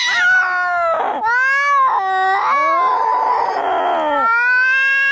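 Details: Angry domestic cats fighting, a sound meant to drive rats away: drawn-out wailing yowls that bend up and down in pitch, with rich overtones, in several long phrases broken by short gaps and sliding drops.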